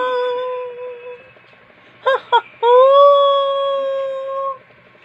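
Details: Domestic dog making a talking-style howl: a steady moaning tone, two short sharp yips, then a long rising howl that levels off and holds for over a second. Music plays faintly.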